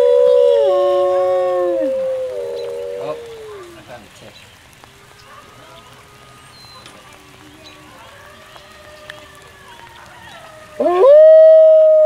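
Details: At a howl night with a crowd, the pack's alpha wolf leads several overlapping howls that slide downward and fade. A quiet stretch with faint voices follows, then one loud howl swoops upward and holds strongly.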